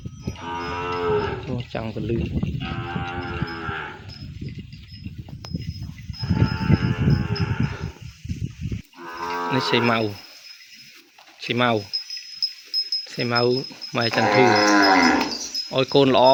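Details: Cattle calf separated from its mother and kept apart, crying out for her in a pen: loud, drawn-out harmonic moos in repeated bouts of one to two seconds, some rising and falling, with short gaps between calls.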